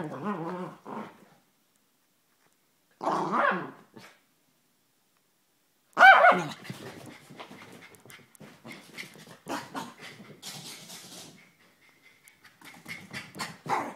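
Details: Hyper Chihuahua giving a harmonic growl-whine, a short burst near three seconds, then a loud sharp bark at six seconds followed by clicking, scuffling sounds.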